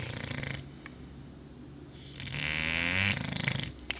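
An English Bulldog snores with low, rattling breaths and a longer wheezy, whistling draw of air.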